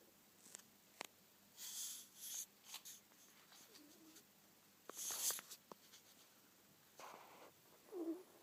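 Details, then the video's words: Manyunya, a pet ferret, snoring while asleep indoors: soft breathy hissing bursts, a few seconds apart, with scattered small clicks and rustles between breaths in a quiet room. "хорёк манюня храпит"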